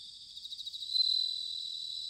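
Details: Bell cricket in autumn at Sanuki, Chiba, Japan: a short high, pure ringing note rises out of a faint pulsing insect background and fades gently.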